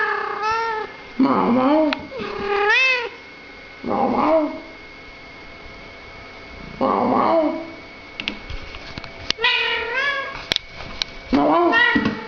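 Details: British Shorthair cat chatting with people in a run of about six meows, some high and rising, others short and lower, with a few sharp clicks and taps between calls.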